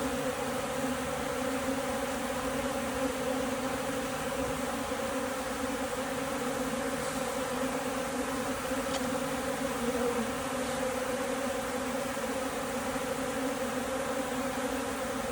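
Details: Beekeeper's honey bees said to lack food, heard as a continuous low colony hum, even and unbroken for the whole stretch, with a faint click or two.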